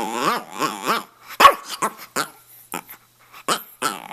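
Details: Red rough-coat Brussels Griffon named Stanley, about two and a half, at home in Miami, talks in three rising-falling yowling syllables, then a series of short sharp yips and clicks with brief pauses.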